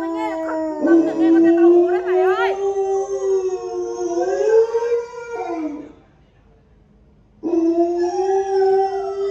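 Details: Pet Alaskan Malamute howls like a wolf in response to a wolf-howl recording from the internet: a long, smooth, gradually rising howl with brief yipping wobbles early on, a silent gap, then another steady howl begins.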